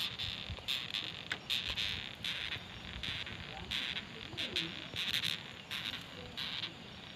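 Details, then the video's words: Batocerini longhorn beetle making strange creaking noises: irregular runs of short, rasping squeaks, some clustered in quick pairs, others spaced nearly a second apart, with a thin steady insect-like whine running underneath. "Kumbang Bersuara Aneh(Batocerini)"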